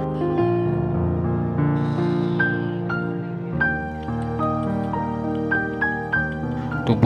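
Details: Gentle instrumental music with sustained tones and plucked, bell-like notes; no animal sound is heard.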